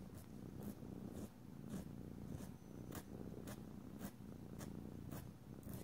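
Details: Pet cat purring continuously as nails are filed and oil is rubbed in; a deep, even rumble with soft scraping strokes repeating about twice per second over the top.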